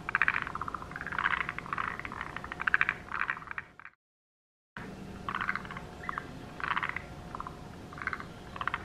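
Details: Forest green tree frogs in a sparsely wooded subalpine marsh and pond, where they lay eggs on herbs and pond banks, give bursts of rapid, clucking, rattled notes, repeated in short series.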